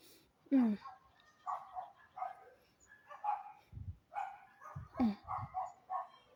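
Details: A dog lets out two high yelping barks about four seconds apart, each one sliding quickly downward. People talk and move around between the yelps.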